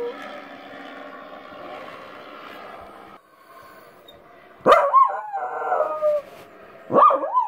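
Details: Domestic dog worked up by odd noises gives two abrupt yelping howls that leap up then fall away, following a stretch of steady background hum.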